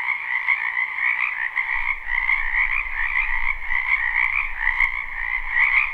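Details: Many frogs calling together in a wetland during spring, recorded live without looping; continuous layered croaking trills, a brief dip near two seconds, then a soft low rumble running beneath the chorus.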